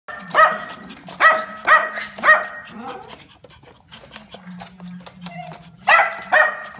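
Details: Dog in a pet shop barking in bursts: a quick run of four sharp, ringing barks, a quieter pause with a low drawn-out whine, then three more loud barks.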